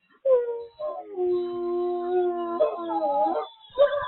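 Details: Wolf howl from the International Wolf Center in Ely, Minnesota, heard via live cam: a short opening note, then a long steady low howl held over a second, followed by wavering overlapping voices and a brief final yelp.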